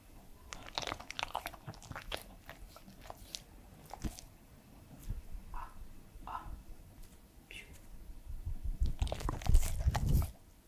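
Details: A three-year-old Pembroke Welsh Corgi named Edmundo eats indoors for ASMR. Soft crunching and biting build gradually, and a loud low rumbling scrape at the end nearly drowns out the chewing.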